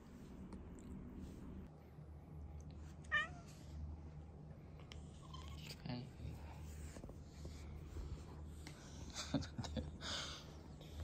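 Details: Short meow from Chloe (Kuroe), a female rescue cat caught in a trap as a kitten, fearful of people, with a congenital heart condition, living indoors half-feral for six years; one brief wavering cry amid low room hum and soft human sounds.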